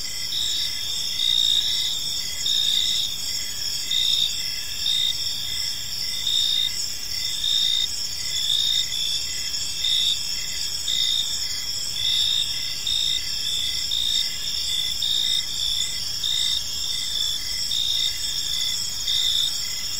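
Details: Park crickets chirping in the evening: several insects trill continuously at high pitch, one voice standing out with regular bright pulses, the chorus steady and unchanging with a faint rumble underneath.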